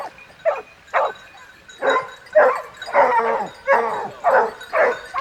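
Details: In the south of France, hunting dogs chasing a boar with hunters bark in hoarse, broad bursts, almost two per second, some overlapping.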